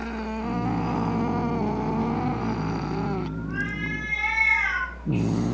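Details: Cat giving an angry yowl to frighten rats, opossums and other cats: a low droning growl-moan that breaks into a higher rising wail, then a sudden harsh burst at the end.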